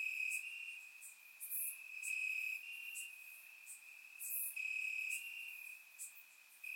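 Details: Several crickets chirp at night in summer grass in Bulgaria, a surround-microphone recording: an unbroken high trill rising and falling in loudness, interrupted by quick sharp higher clicks and chirps from other insects.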